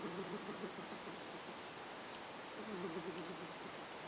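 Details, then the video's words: Pet cat Ash snoring in sleep: two short rattling, fluttery breaths, low and buzzy, about two seconds apart, over steady soft background hiss. "Snoring Kitty"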